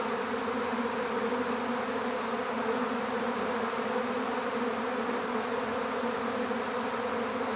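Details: A swarm of honeybees, gathered into an empty beehive, gives a thick continuous drone, layered and even in loudness, with a couple of brief faint high clicks.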